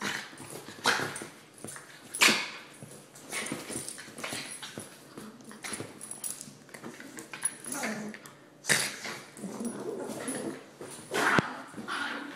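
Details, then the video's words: Two Rat Terrier sisters fighting, pet dogs play-fighting: rough growling and snarling with sharp yelps at about one, two, nine and eleven seconds, broken up by short quiet gaps. "Rat Terrier Sisters Fighting"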